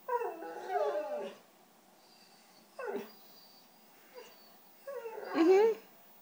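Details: A white female Siberian Husky asking for cheese doodles makes short, quieter whiny howls and brief yips separated by pauses, with a person's voice nearby.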